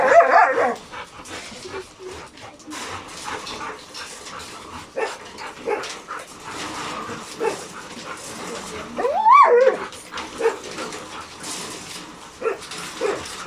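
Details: Two very hyper pet dogs reacting to insects, birds and voices: short high yelps at the start, then one rising and falling whine near the end, over a cluttered background of rustling and clatter.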